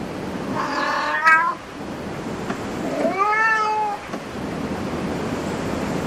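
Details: Indoor cat cafe with cats meowing twice, a higher, strained cry near 1 s followed by a lower, smoother meow around 3 s, then quiet room ambience.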